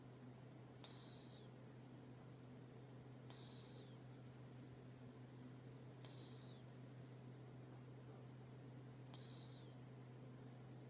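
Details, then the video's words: Sleeping cat snoring: short, airy whistled wheezes sliding downward in pitch, four of them spaced roughly two and a half seconds apart, over a constant low electrical hum indoors. "Do Cats Snore"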